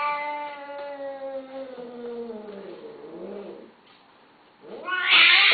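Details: A Persian (Shirazi/Himalayan) cat during male-female mating gives a long, drawn-out mating yowl that slowly sinks in pitch, then a harsh hiss.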